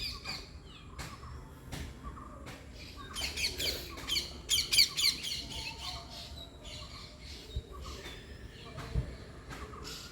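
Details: Baby squirrel being hand-fed milk from a small medicine bottle: sharp, high squeaky squawks and clicks bunch together in the middle, rapid and uneven, with fainter chirps before and after and handling noise underneath.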